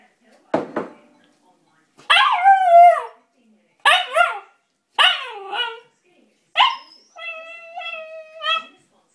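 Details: Malamute husky puppy, indoors, shouting impatiently for his food: a sharp bark, then a run of loud wavering yowls and howl-like cries rising and falling, with short gaps between them; a person speaks before and after.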